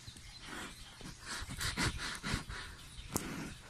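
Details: Peace, a 22-year-old female hand-reared polar bear at Tobe Zoo, gives soft, breathy huffs and chuffs in greeting on spotting and closely approaching her beloved keeper.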